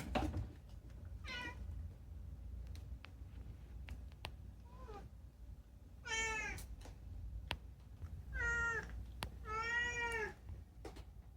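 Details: Unagi-kun, a chatty rescued cat, calling at night indoors: a short meow, a faint chirp, then three strong, drawn-out meows in quick succession, each swelling and dropping, over a low steady hum.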